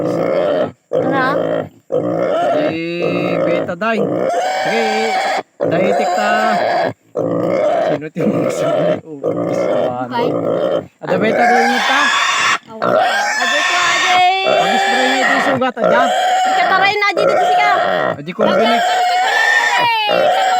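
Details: Native pig squealing through castration: a continuous run of loud harsh screams and grunting squeals, some quivering and rising, with only short breath breaks over twenty seconds.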